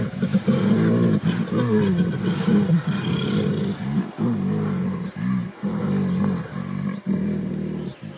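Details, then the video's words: Silverback gorilla in the misty forests of Volcanoes National Park, Rwanda, using his deep voice to show power, presence and protection over his family: low, harmonic, wavering rumbles in repeated phrases, briefly broken by pauses. "That Deep, Echoing Sound of silverback gorilla in Rwanda"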